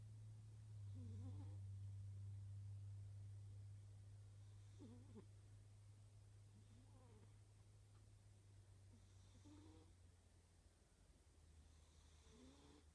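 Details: Sleeping pet cat snoring quietly, each breath a gentle low rasp with a short upward-curving whine, about every two seconds; a low constant hum fills the background.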